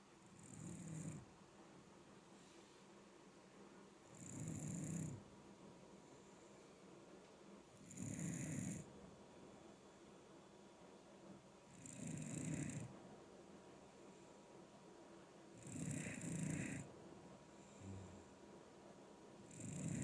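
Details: Ageing Shiba Inu snoring indoors, a plump dog whose snores have grown with age; low rumbling breaths with a hissy high edge, recurring about every four seconds, five snores across the stretch.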